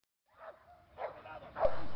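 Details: An American Pit Bull Terrier facing a bite-work agitator gives three short, harsh, throaty barks in quick succession.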